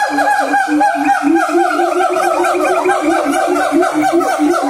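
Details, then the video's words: Siamang, Sumatran black long-armed ape, singing: dense overlapping hoots and barks in rapid rising and falling swoops, a steady low booming note repeated beneath, continuous and loud throughout. "OWA SIAMANG SUMATRA GIBBON MONKEY MONKEY BLACK LONG SLEEVEGIBBON SINGING"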